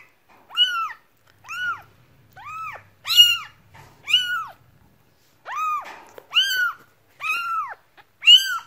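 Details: Cat meowing repeatedly in short, bright, arched calls, roughly one or two per second, some louder and harsher, with near silence between calls.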